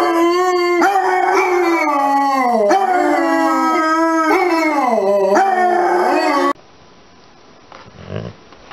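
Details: Basset hound howl in several drawn-out, quavering notes that swoop down and up, ending abruptly, followed by quiet background noise and faint bumping sounds.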